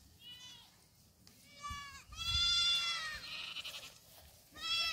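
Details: Young black goats running on a farm in Gimhae, South Korea; a series of nasal, wavering bleats with strong stacked overtones, one longer drawn-out cry in the middle and another bleat at the end.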